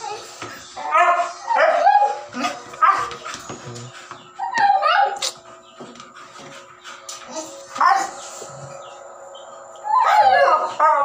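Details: Siberian Husky puppy during its first meal, giving bursts of short, high, harmonic whines and yelps, some drawn out into little howls, about eight bursts in eleven seconds, over a faint steady musical hum.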